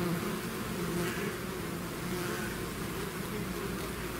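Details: Swarming bees out of their hive fill this short stretch with a thick, constant hum of countless wings, steady in loudness and pitch.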